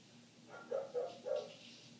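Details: Three quick, muffled barks from a neighbor's dog, heard from inside a house with closed windows, against a faint steady hum.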